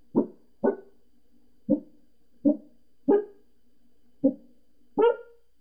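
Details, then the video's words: Indoor Pembroke Welsh Corgi barks at people next door, giving seven punchy barks, the first two close together, later ones more evenly spaced and some rising slightly in pitch. "Gizzy Barking"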